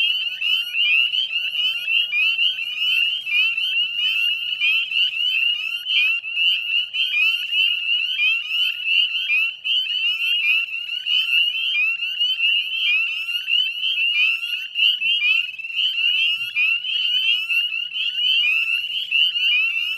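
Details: Northern spring peepers in full chorus at a salt marsh in West Chezzetcook, Nova Scotia, Canada, on 18 May 2020 at dusk: dense overlapping high, rising peeps forming a continuous shrill wall of sound with no pauses.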